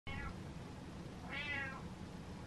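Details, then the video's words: Butters the cat meows indoors, telling dad to turn the lights on and refusing the dark: a faint short meow at the start, then a louder drawn-out mewing call that rises and falls, over a low steady room hum. "Cat Tells Dad To The Lights On"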